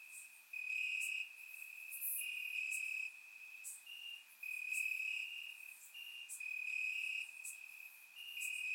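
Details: Crickets chirping in grass on a warm summer night in Bulgaria, captured with a surround microphone: a steady high-pitched trill pulsing in bursts about every second, overlapping callers, with faint higher ticks above.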